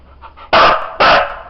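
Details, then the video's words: Siberian Husky dog doing a counting trick: two loud, harsh barks half a second apart, preceded by faint whining noises and a man's quiet voice. "DOG HUSKY SIZARA COUNT"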